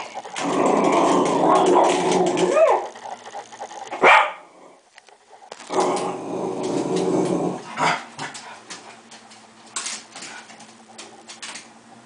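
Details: Cocker spaniel growling at a bug indoors: two long, rough, rumbling growls of about two to three seconds each, with a sharper outburst between them and quieter grumbles trailing off at the end.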